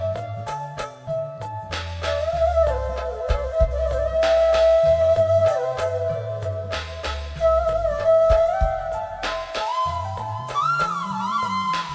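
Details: Loud flute-led Bollywood-style music with a pulsing bass line plays throughout, and no animal sounds are heard.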